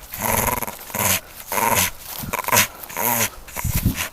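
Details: English Staffordshire Bull Terrier named Coco, about nine years old, playing and performing stunts indoors; a run of gruff, growly vocal bursts roughly every half second with short pauses, over faint background music and a voice urging him on.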